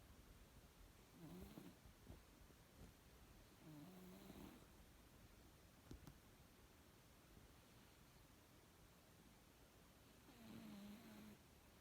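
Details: A sleeping pet cat named M snores indoors, comfortable in its sleep: low breathy snores with a faint whistled tone, at about 1.5, 4 and 11 seconds, separated by quiet pauses.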